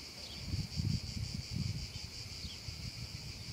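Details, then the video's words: A brief stretch of cicada song from a meadow on a hot summer afternoon: a constant piercing drone above low rumbling and rustling noise. "un caldo pomeriggio d'estate e le cicale"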